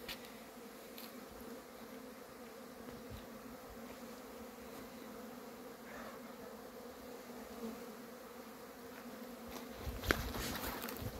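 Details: Honey bees leaving the hive on a cleansing flight on 10 February, the first warm day above 12 degrees; a faint, even buzzing hum throughout, with a few short rustles and a louder knock near the end.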